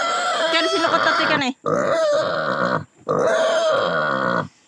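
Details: Native pig squealing during castration: three long, loud, harmonic squeals, each held steady for over a second with brief silent breaks between them.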